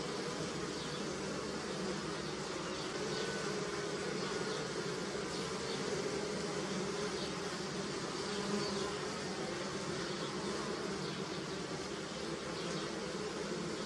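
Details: Many honey bees buzzing around apple and pear blossom and a hive: a dense, steady hum layered in low droning bands, with faint higher whines of single passing bees.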